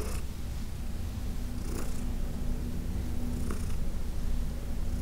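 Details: Purring of Heidi, an elderly domestic cat once sheltered ten years at the Humane Society of New York City, while being massaged; continuous deep vibrating drone, faint breathy rustles near the start, 1.8 and 3.6 seconds.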